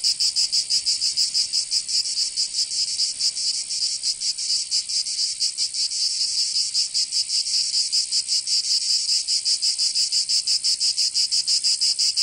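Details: Cicadas in Provence, south of France, during summer: loud high-pitched rasping drone with rapid, somewhat irregular pulsing near three beats per second, continuous and alone in the recording.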